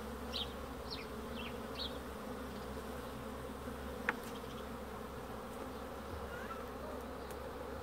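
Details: Continuous droning hum of honey bees, even and unbroken, with a few quick high bird chirps near the start and a single sharp tap halfway through.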